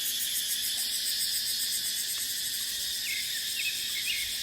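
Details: Cicadas in dry dipterocarp forest during the dry season, with wind: a dense, steady high buzzing drone that fills the upper range throughout, with a few faint short bird chirps near the end.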